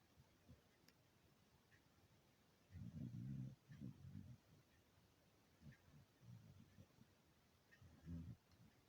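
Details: Sleeping beagle snoring: low, rumbling snorts in uneven bursts, the loudest a long rasping stretch of about a second near the middle, then shorter softer snores; quiet room noise between.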